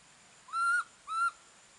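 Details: Monkey calling for the mother that left it alone: two pure, steady whistled notes, each about a quarter second long and slightly rising, half a second apart, in near silence.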